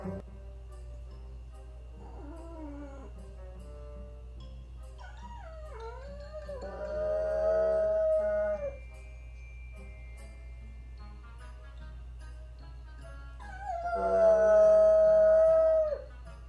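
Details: Female French Bulldog left home alone indoors while her owner takes another dog to the vet, howling: a few wavering, drawn-out mournful howls separated by pauses, over a steady low hum and faint music.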